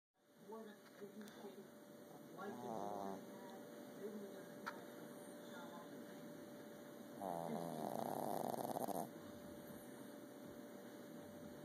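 A sleeping Boston Terrier snores in uneven, raspy bursts. The loudest stretch is a long, buzzy, snorting breath before the sound settles back to a soft, steady rumble over a faint hum.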